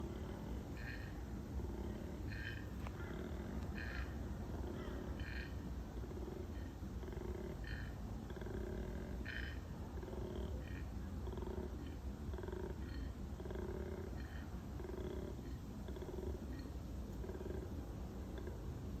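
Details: A wild koala spotted in the bush gives a deep, rasping, snore-like bellow in steady rhythmic pulses.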